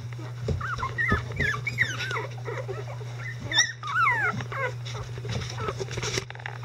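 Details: Several 11-day-old Icelandic Sheepdog puppies whine and squeal together as adult dogs tend to them, making a dense tangle of overlapping, bending high cries, with a constant low hum underneath.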